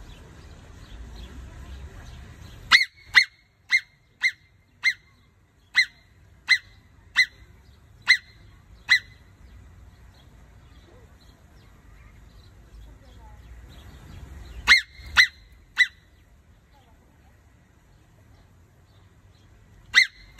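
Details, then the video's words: Angry marmot at a zoo, screaming: a rapid series of about ten sharp, piercing shrieks spaced roughly half a second apart, a long pause, then three more and one final shriek, over a faint low rumble. "Angry Marmot Screaming"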